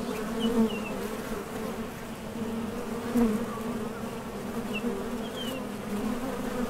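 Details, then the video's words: Honey bees at a top bar hive entrance, landing and departing on nectar trips; a thick continuous buzz with louder passes as single bees fly close, plus a couple of faint high bird notes. "HONEY BEES Sound Effect #MasonJar | BEES BUZZING"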